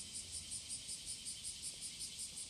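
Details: Cicada singing in courtship on a summer morning, 30 July 2017: a steady high, hissing buzz with rapid pulses about five times a second. There is a faint low rumble beneath it.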